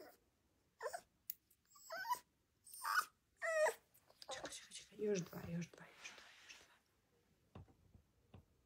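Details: Rottweiler puppy having its nails trimmed, letting out several short whimpering yelps early on, followed by softer murmuring sounds and quiet handling noise.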